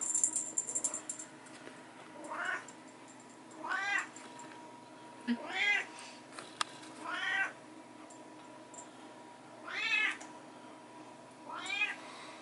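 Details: Bengal kittens playing in a hallway with their mother during teaser play time; a series of short, arched, rising-then-falling meows repeated every one to two seconds, with a faint steady hum in the background.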